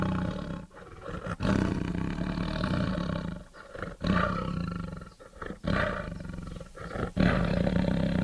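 A tiger roars in deep, rumbling bursts, each broken by brief pauses.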